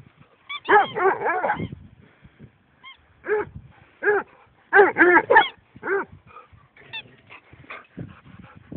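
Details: A Basset hound howls at a squeaky duck toy, giving bursts of short, mournful, wavering howls in quick clusters, with thin squeaks from the toy in between.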